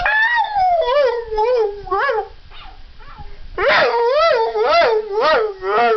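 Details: Pet puppy "talking" to his owner, telling her he loves her: wavering, sing-song howls with rich harmonics, rising and falling in pitch in quick wobbling loops, a short lull midway, then louder undulating howling again.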